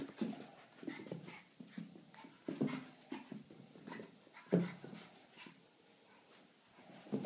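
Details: Boston Terrier; bark; inviting play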